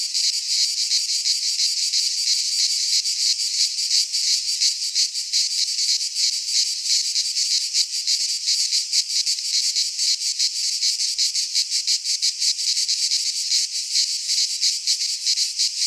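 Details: Several cicadas sing together in a Greek pine forest during midsummer, a sustained piercing high drone pulsing rapidly and evenly throughout, with faint low rumbles occasionally beneath.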